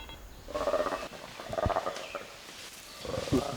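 Black-and-white colobus alarm call: short, rough, pulsing bursts given when a chimpanzee attacks.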